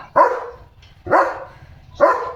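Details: In the evening, a German Shepherd on guard duty gives three loud, deep barks about one second apart at another dog outside the gate, driving it off.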